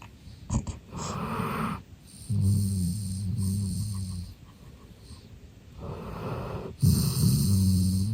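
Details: Sleeping golden retriever Eve, a relaxed male, gives long, deep, rumbling snores from about 2.3 to 4.3 seconds and again from 6.8 seconds. Short snorts come near the start, and softer breathing fills the gaps.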